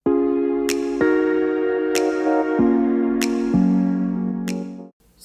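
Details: Electric piano chords change about every second, with soft synthesizer tones and sharp percussive clicks, then fade out near the end, with no animal sound.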